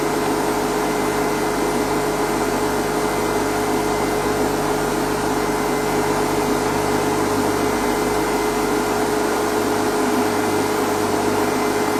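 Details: A steady mechanical hum with fixed tones, like an engine or fan, and no animal voice.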